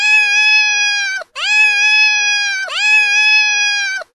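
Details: Domestic cat giving three long, loud meows in a row, each about 1.3 seconds, rich and harmonic, holding a level pitch before sliding briefly downward at the close; no other sounds.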